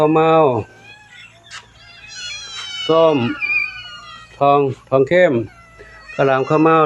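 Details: Cats, old and new members of the group, greeted in the morning at Wat Pong Chai temple, Chae Hom, Lampang: a thin, high, drawn-out falling meow in a pause between bursts of a woman's chatty speech.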